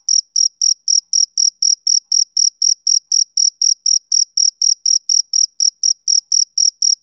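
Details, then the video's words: Male cricket chirping on a summer evening: short, high, clean chirps, about four each second, in a steady, even rhythm with no other sounds behind them. "Cricket Chirping"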